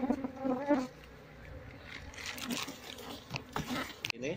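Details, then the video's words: Honey bees from a colony being moved into a cardboard box, their small comb being cut, make a low steady hum with overtones, strongest at the start, then handling knocks and rustles. "Memindahkan Lebah Madu ke Kotak Kardus"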